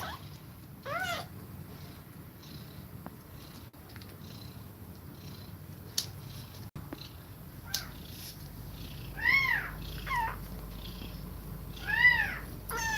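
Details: Mother cat feeding milk to kittens while breathing fast; a thin mew near the start, then a quiet stretch with faint ticks, followed by three clearer rising-falling mews close together toward the end.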